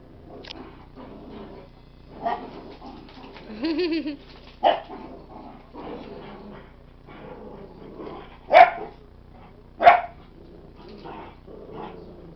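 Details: English Springer Spaniel puppy playing with another pup indoors: scattered short yelps and two sharp loud barks near the end, with growly play noises and rustling between them.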